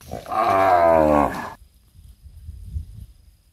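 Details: Cows breastfeeding calves in a palm oil plantation; a short, rough, strained moo of just over one second, then low rumbling and shuffling sounds.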